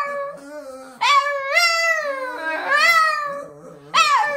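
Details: A Boston terrier singing indoors in a small room, giving wavering howls that swoop up and then slide down. A lower, steady tone sounds underneath between the howls.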